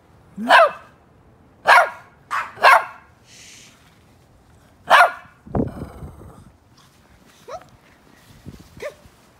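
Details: Shih Tzu, one of two senior dogs playing outdoors in rare Christmas snow in Vancouver during record low temperatures. Sharp, high yelping barks come singly and in quick pairs, then fade to softer, scattered yips.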